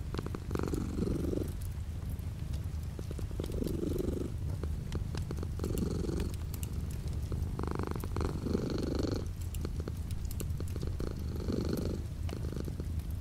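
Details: Steady low purr from a house cat, light rain falling outside the window; the rumbling pulses in breath cycles roughly every two seconds, louder on each inhale-exhale swell, with soft scattered rain taps behind.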